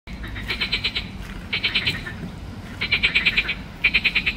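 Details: Green frog (Pelophylax) at Ljubljana Botanical Garden, 31 May 2024: four bursts of rapid, rattling croak pulses, each lasting about half a second, spaced roughly a second apart, over steady low background hum.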